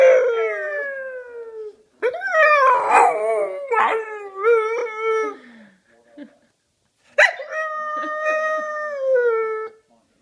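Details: Blue English Staffordshire bull terrier singing along with its owner, giving drawn-out howls in three bouts separated by short pauses. Each bout starts high and slides gradually downward, with a wavering, rough middle section.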